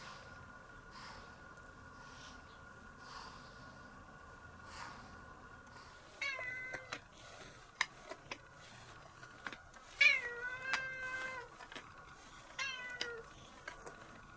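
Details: Domestic cat meowing while being brushed indoors; several short meows from about six seconds on, each a bright harmonic call with a slight downward bend, one longer meow near ten seconds, with faint brushing rustles between.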